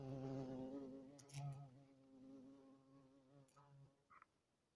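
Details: European hornet flight buzz, a steady low droning hum with layered overtones wavering in pitch, a few brief higher clicks and a short chirp near the end.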